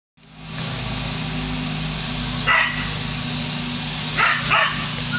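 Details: Lasky, a dog, barking at a hot air balloon, recorded close up: three sharp barks, a single one then a quick pair, over a steady low droning hum.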